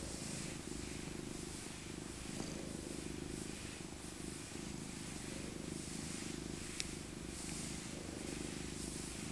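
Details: Elder female tabby cat Maca, born 2000 and once a rescued abandoned kitten, purring while cuddled in her soft winter coat; a steady low rumbling purr runs throughout, with faint rustling of fur and handling above it.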